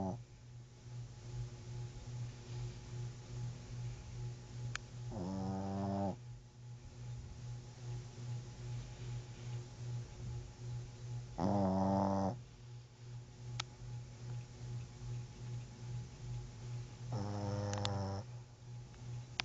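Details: Sleeping dog snoring: a steady low rumbling pulse repeating two to three times a second throughout, broken by three louder, voiced, harmonic bursts spaced several seconds apart.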